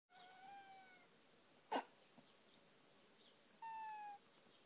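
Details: Domestic cat yawning and meowing: a soft, slightly falling meow near the start, a brief click in the middle, then a second short, flat, clear meow toward the end, in a quiet room.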